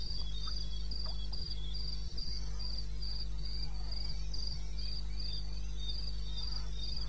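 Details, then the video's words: At 2:30 am in the wilds of eastern Botswana, 21 May 16, crickets keep up regular shrill chirps, with a lower, fainter chirping voice beneath and a steady low hum throughout. "1 Hour cricket sound"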